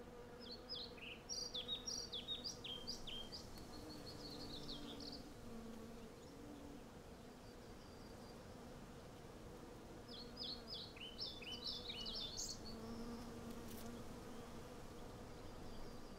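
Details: Hundreds of western honey bees collecting from a blossoming cherry tree, captured with a Zoom F6 and Sennheiser MKH 8040: a steady low droning hum underlies bursts of bright, chirping birdsong around two and thirteen seconds.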